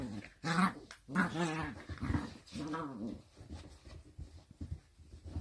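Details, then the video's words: Sausage dog pups playing: two sharp, harmonic yelping barks open a string of wavering, moaning growls that rise and dip in pitch before fading into softer grumbles. "Enjoyable Sausage dogs puppies Video compilation Funny Playful Cute video"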